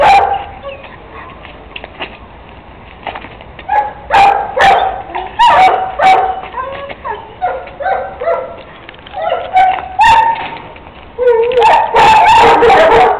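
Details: Three-month-old Kuvasz Juninho (Napoleão Jr.), a puppy that plays ball in the street, barking in clustered bursts of short yapping calls, with brief pauses between groups and a dense flurry of barks near the end.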